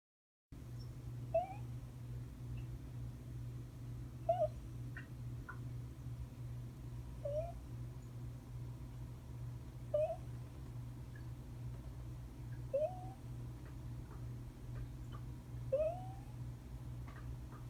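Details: Sleeping domestic cat snoring indoors: faint, short squeaky notes that rise and repeat roughly every three seconds with each breath, over a steady low hum.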